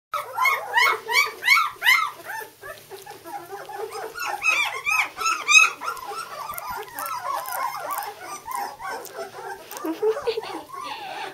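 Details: Two-week-old White German Shepherd puppies from Jelly's litter, just starting to walk, in a small room. Many high, arching squeals and whimpers overlap in quick bursts, louder and more regular at first, then a dense, softer chorus of cries.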